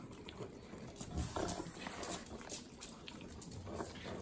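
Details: Three pug dogs eating butter in Southern California's Inland Empire: wet, sloppy licking and smacking with short snorting bursts, loudest around the middle, close and indoors.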